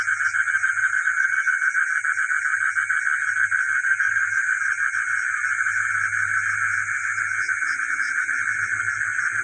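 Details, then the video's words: Village frogs at night, with geckos nearby, keep up a steady rapid pulsing chorus, about three pulses a second in the mix, beneath a persistent shrill high hum and a low droning band. "the sound of frogs and geckos at night in the village"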